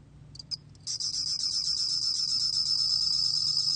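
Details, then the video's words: A bell cricket, from the National Institute of Biological Resources, 2020, starts with a few short high chirps, then settles into a sustained bright, bell-like pulsing trill over a quiet low background hum. "곰방울벌레, 여러번 듣기, 곤충소리"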